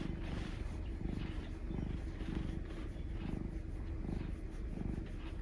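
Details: Affectionate black mixed-breed male pet cat purring, a dense continuous low rumble with rhythmic breath pulses, close to the microphone indoors.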